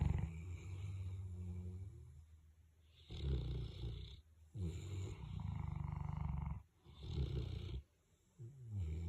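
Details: Two big Boerboel dogs sleeping side by side and snoring together; deep, rumbling low snores in long rasping pulses, each a second or more, separated by quieter breathing gaps.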